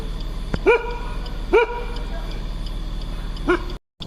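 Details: A dog gives alarm barks at night beside a jungle road during a night drive, reacting to an animal nearby. Three short, rising-falling barks come about a second apart, then a pause, with engine hum and a man talking quietly.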